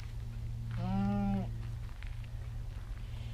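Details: A goat doe in labor, her udder full and huge and her discomfort obvious, gives one drawn-out, harmonic, slightly wavering bleat; she is normally the owner's least vocal goat but has been vocalizing for about three hours.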